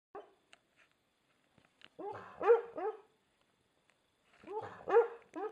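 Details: American Staffordshire Terrier named Spike barking while asleep: muffled, soft woofs in two short clusters of three or four, each bark rising then falling, with quiet gaps and faint small clicks between.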